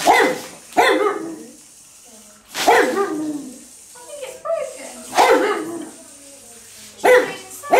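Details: A pet Pug dog barking at an electric toy bug: loud, harsh bursts of barks roughly every two seconds, each broad and ragged, with quieter whines and grunts between them.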